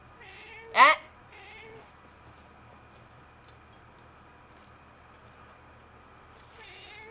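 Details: Domestic cat meowing back indoors while its owner argues with it, saying "no no"; one loud, sharp rising meow near the start, a softer second meow after it, then another meow at the end over steady room hum.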